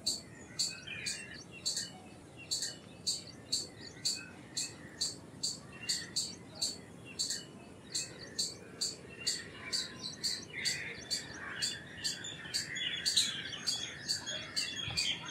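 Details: Long rhythmic series of high, sharp chips from an Indian palm squirrel, spaced about two per second and holding steady, while bird twitters rise in the background toward the end.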